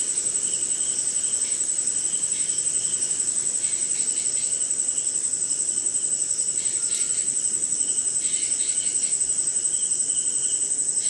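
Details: Night insect chorus in rain, recorded in India: crickets keep up an unbroken shrill high trill, joined by a lower pulsed chirping line that comes and goes, with faint patter in the background.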